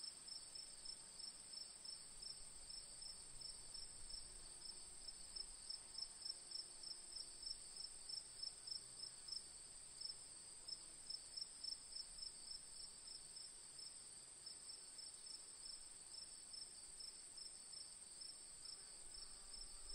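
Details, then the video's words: Crickets chirp in fast high pulses, roughly three or four per second, over a continuous shrill insect trill and soft low rumble. "Cricket Sound"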